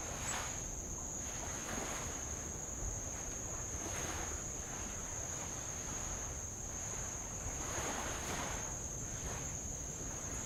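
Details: High steady insect drone on Avalau island, Kingdom of Tonga, near old lava; the shrill tone never breaks, and light waves roll in low rushing surges roughly every two seconds.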